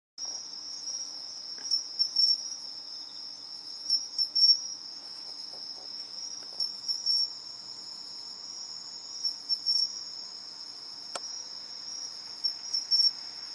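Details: Two pine crickets compete, trading short, bell-like chirping phrases every couple of seconds. Beneath them runs a constant, shrill high-pitched insect hum.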